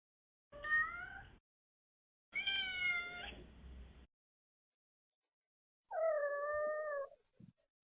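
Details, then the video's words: A domestic cat making a series of meows and mrrps: three separate calls, each under a second or so long, with clear harmonic tones, the last one lower and steadier, separated by silence. "How loud can you meow and mrrp? | Cute cat making sweet sounds!"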